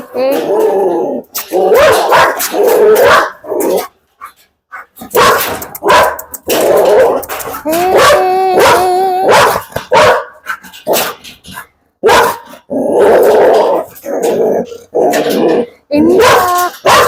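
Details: Belgian Malinois dog barking in loud, harsh bursts, repeated irregularly over about seventeen seconds, with short pauses and people talking in Malayalam between and over the barks.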